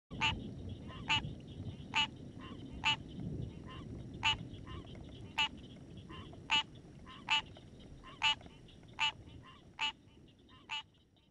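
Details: A common tree frog calling around midnight, possibly a mating call, gives short, sharp, nasal knocks roughly every second over a low night rumble.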